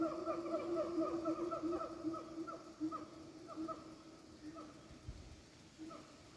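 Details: Siamang calling in the forest of Pakpak Bharat, North Sumatra: a series of clear, rising whoop-like notes repeated several times a second, strongest early and fading toward the end, with a faint thump near the close.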